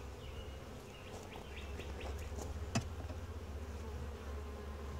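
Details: Honey bees of a quiet, calm colony droning low and continuously while their hive is inspected; light bird chirps flicker in the background and a sharp knock sounds near the middle.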